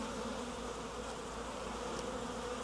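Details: A wild honey bee swarm being gathered off a tree branch into a nuc box fills the air with a constant low drone, steady and even, with a faint tick near the end.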